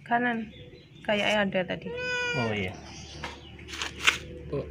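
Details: Sick, hungry and thirsty cat with severe scabies, crying as it came to a house asking for help, gives short harmonic meows, one drawn out and slightly falling, amid human voices speaking indoors.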